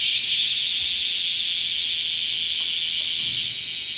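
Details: Bear cicadas chorusing in summer around a garden bayberry tree where a shed nymph skin was found in Japan; a dense, continuous high buzzing wall of sound, with slight pulsing early on, steady throughout with no other clear sounds.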